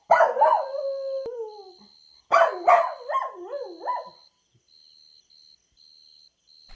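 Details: Playful Golden Retriever puppies on green grass give wavering whines and a small howl, a long falling cry, then a second burst of wobbling up-and-down whimpers, with a thin continuous high tone behind.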